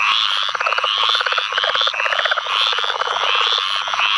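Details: Southern leopard frog calling in a field flooded by rains from Tropical Storm Ana, Onslow County, North Carolina, 11 May 2015; dense overlapping chorus of rapid pulsed clucks, with other leopard frogs, squirrel treefrogs and pine woods treefrogs calling steadily.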